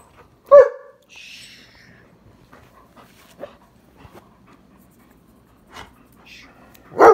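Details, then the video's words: A German Shepherd family of mother, father and puppy at evening play: one sharp bark, then a thin high whine that slides downward, scattered soft huffs and light scuffling, and a second loud bark at the end. "Evening play time between German Shepherds"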